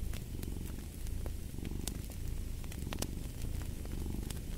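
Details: Close, loud cat purr, a deep vibrating rumble pulsing in roughly one-second in-and-out cycles, with a few bright crackles from a fireplace scattered over it.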